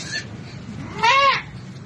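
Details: Goat in difficult labour, later delivered: a faint brief bleat, then a loud, strained, arching bleat lasting under half a second, with low background noise.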